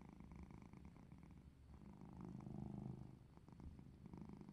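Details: A playful domestic cat gives a continuous low purr, the rumble rising in strength midway through and then easing off, close and clear, with light handling noise.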